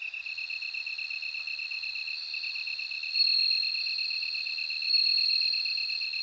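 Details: Bell cricket song heard as a continuous high ringing trill that swells twice, layered over a steady, rapid pulsed chirping in a slightly lower pitch.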